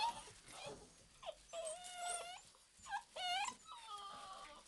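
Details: Old English Sheepdog puppies at play giving a run of thin, high whines and squeaky yelps, some long and wavering, others short and rising, in quiet surroundings.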